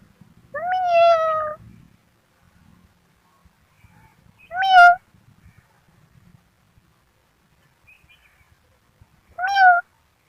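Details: Kitten meowing three times, each a clear, tonal, slightly falling meow of about one second, spaced roughly four seconds apart, with faint low rustling between calls in an otherwise quiet room.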